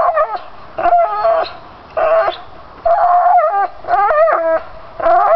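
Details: Domestic pit bull persistently gnawing lower pine branches, voicing strained, harmonic whining howls in repeated bursts of about half a second to a second, pitch bending up and down at the ends.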